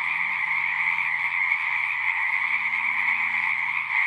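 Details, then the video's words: Singing frogs form a continuous high trilling chorus, with a deeper, rhythmic pulsing croak running underneath through most of these four seconds. "One hour of singing frogs."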